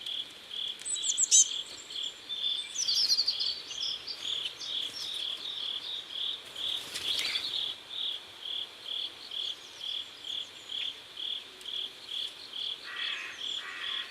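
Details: Crickets by a river at sunset in South Korea, chirping in a steady high-pitched pulse about twice a second throughout, with brief bird twitters early on and a lower buzzy insect near the end.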